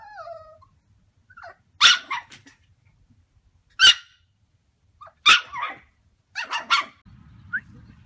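A Yorkshire Terrier gives sharp, high-pitched yappy barks in short irregular bursts.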